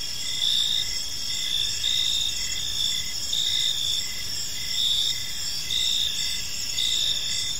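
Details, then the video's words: Several crickets calling together in a peaceful evening park: bright continuous trills high in pitch, punctuated by regular short chirps about every second, with gentle rises in loudness and faint low ambient rumble. "Park Serenade: Cricket Sounds in a Peaceful Park | Evening Ambience"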